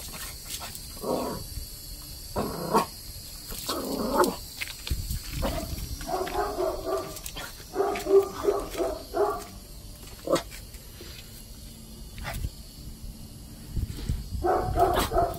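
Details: A 5-month-old Rat Terrier puppy, meeting a large red-eared slider turtle for the first time, chases it with short, sharp barks and yips in irregular bursts, some closely spaced, with quieter gaps between.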